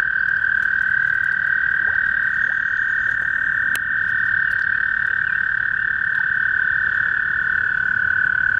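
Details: Spring toad chorus: a male gives a continuous, even, high-pitched buzzing trill that runs the whole time. There is faint background noise and one sharp click near the middle.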